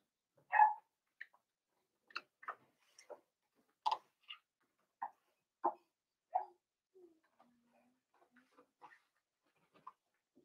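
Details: Four-week-old Cavalier King Charles Spaniel puppies in an indoor puppy pen, being socialized with older dogs and offered puppy mash; short high whimpers and yelps scattered irregularly, one louder cry near the start, then softer squeaks fading out.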